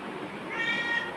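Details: A short, high meow from Bagira, a pet black cat answering its owner's calls, rises and holds level for a moment, then fades; steady faint background hiss.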